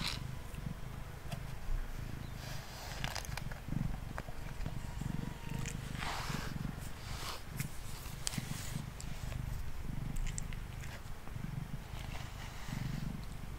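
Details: Pet cat named Mango purring while being brushed as he sits on a table indoors; a steady low rumbling purr runs throughout, pulsing in rhythmic breaths, with scratchy brushing strokes sweeping across it.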